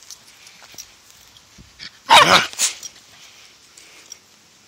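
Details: An angry Toy Poodle gives one short, harsh bark burst followed by a second brief yap, the rest near-quiet room noise.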